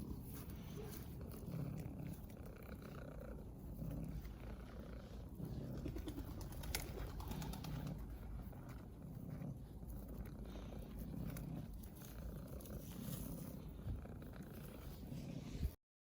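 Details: Affectionate domestic cat purring softly: a low, continuous rumble that swells and eases in repeated phases every one to two seconds, steady throughout, with no other clear sounds.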